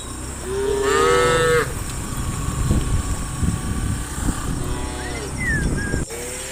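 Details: Cows being herded by farm workers into farm pens in soft morning sunlight; a drawn-out, rising, harmonic moo lasting about a second, later a short higher wavering call, over a steady low rumble of farmyard noise.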